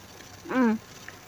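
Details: Water buffalo, or kalabaw, from a farm where a mother recently gave birth and her calf has since grown big; one short, clear, harmonic moo lasting about a third of a second, level then slightly falling, over a quiet background.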